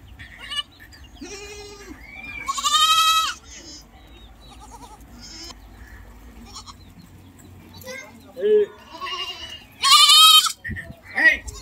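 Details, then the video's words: Goats and kids on a goat farm bleating: loud, quavering high bleats near three and ten seconds, with a few shorter, lower calls between, over a faint low hum. "goat sound"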